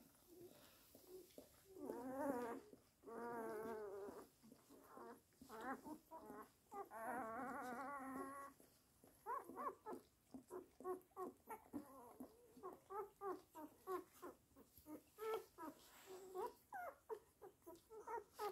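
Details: Weimaraner whining: long wavering, harmonic whines at first, then a rapid run of short, squeaky yelps and whimpers repeated several times a second.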